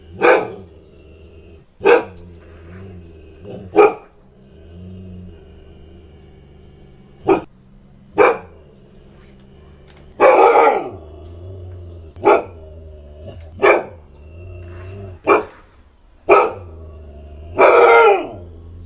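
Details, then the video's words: Siberian Husky barking repeatedly, short sharp barks mixed with a few longer, harsher, falling barks at uneven intervals, with a low hum underneath throughout. "OUÇA O SOM DE LATINDOS E GANIDOS DO LINDO CACHORRO HUSKY SIBERIANO"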